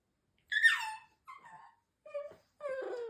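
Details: Shiba Inu, the older firstborn female, talking to her mother with the strange sounds she has made since puppyhood: four moaning, whine-like notes, the first high and falling, the next two shorter and lower, the last a long descending wail, indoors.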